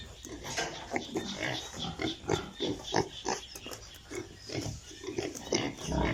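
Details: Piglets on a pig farm in Italy grunt and squeal in quick, irregular bursts, several voices overlapping.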